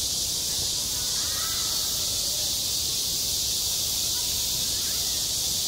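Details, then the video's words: A high, continuous buzzing wall of cicada song over a school playground in midsummer, unvarying throughout, with a few faint brief chirps drifting underneath. "한 여름 운동장에서 매미가 울고 있다 - 여름의 소리, 학교 종소리, 매미 울음소리"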